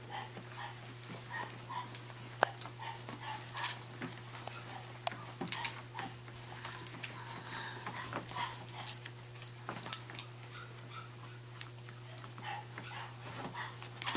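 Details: Scottish Terrier puppies in Central Pennsylvania, offered for sale, give many short, high yips and whimpers scattered through the scene, overlapping one another, with soft knocks and clicks over a steady low electrical hum.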